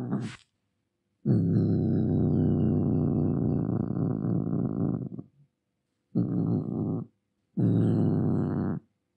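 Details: Domestic cat angrily producing a long, continuous low growl of about four seconds, followed by two shorter harsh growling bursts.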